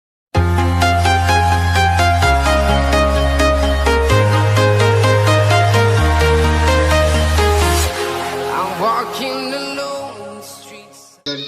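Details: Loud electronic dance music with a pulsing beat and bass fills the whole recording.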